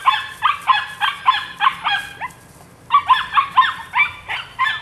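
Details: Two runs of sharp, shrill yaps from a Rodin/Katana female pup aged nine weeks, each run five or six barks about a third of a second apart, split by a short pause.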